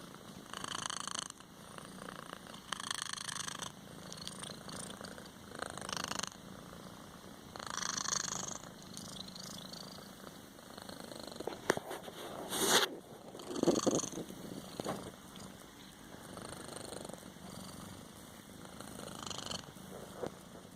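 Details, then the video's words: Copito, a pet kitten, somewhere between snoring and purring: soft, raspy breaths rise and fall roughly every two seconds in a quiet indoor setting, with a few brief clicks and rustles. "kittien snoring"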